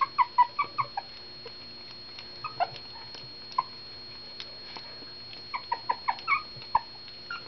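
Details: Puppies whose mother was rescued after a puppy mill bust whimper during their first meal: rapid strings of short high squeaks open and close the recording, separated by a quieter stretch with occasional clicks and a constant faint whine.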